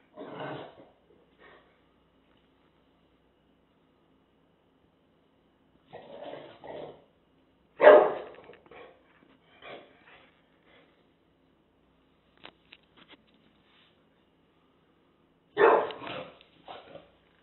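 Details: English Bulldog squaring off against a taco box: a series of gruff, throaty barks and growling huffs in irregular bursts several seconds apart, with snorts and scuffling between them.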